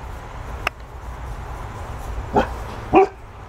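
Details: A Golden Retriever barking at a ball gives two short, sharp barks about half a second apart.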